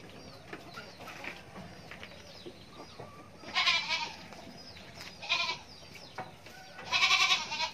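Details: Goat kid bleating three times, each a loud, nasal, quavering cry under a second long and spaced about one and a half seconds apart, over a steady chorus of chirping birds.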